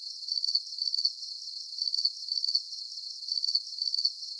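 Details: Calming cricket chorus meant for relaxation and sleep: shrill, high-pitched chirp bursts follow each other about every half second, each a rapid run of pulses, above a faint continuous high hiss and nothing else.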